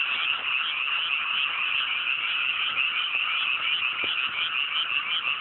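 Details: Frogs calling en masse at night over mountain rice paddies just after rice planting, clear weather: a thick, steady wall of rapid croaking, many voices overlapping without pause.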